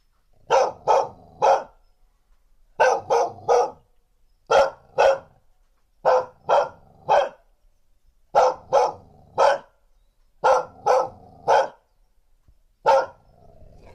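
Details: Threatening barks of a female dog captured with a TASCAM DR1 field recorder and windscreen; steady groups of two or three sharp barks spaced about two seconds apart, ending with a single bark, otherwise silent.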